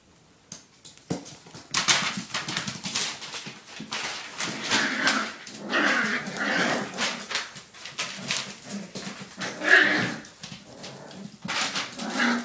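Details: Five playful puppies tumble together indoors, trading rapid high yips, small whines and scuffling growls in tight overlapping bursts, with the busiest stretch in the first half.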